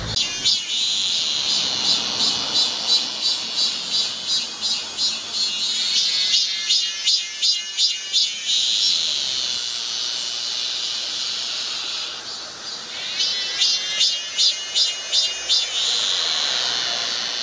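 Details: Midsummer cicada chorus from Galsan in Gocheok-dong, Seoul, South Korea. A high, rhythmic throbbing buzz pulses steadily throughout, dipping briefly before the beat returns.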